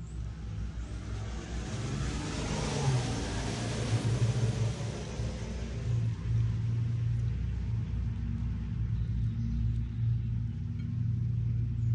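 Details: Deep steady rumble of a vehicle engine throughout, with no animal sounds heard.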